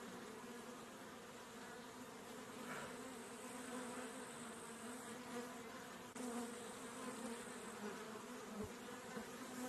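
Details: A honey bee's steady, low droning buzz hums continuously at close range as it drinks honey.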